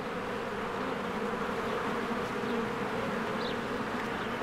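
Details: A spring beehive with swarms of bees coming and going gives a continuous, even drone of many wings. There is a single short, high chirp near the end.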